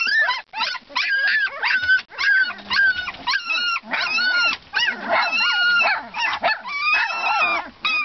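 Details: A litter of Siberian Husky pups, two weeks old, squealing and whining without pause; shrill rising-and-falling whimpers crowd over one another in quick bursts.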